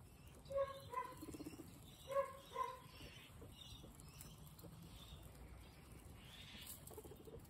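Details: Guinea pigs at snack time give short, bright squeaky notes, two quick pairs in the first three seconds, each note with stacked overtones; afterwards only soft rustling and munching remain in a quiet room.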